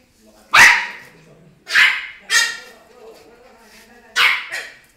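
A French Bulldog gives four short, sharp barks at uneven intervals, each one bright and slightly hoarse.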